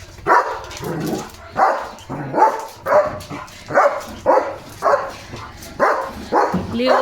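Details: German Shepherd Leo on guard duty during a parcel delivery, barking steadily at nearly two barks per second in a rhythmic series of short harsh bursts, with human speech mixed in.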